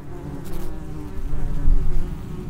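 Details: Brief burst of Vespula vulgaris traffic at a ground nest entrance: dense low buzzing from several wasps, rising in loudness toward the end as one passes near.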